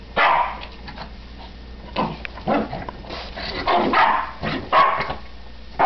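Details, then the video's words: A Shih Tzu and a Chow/German Shepherd mix at play, giving a series of sharp barks and yips in quick irregular bursts, a few louder calls standing out. "Big vs Small Dog"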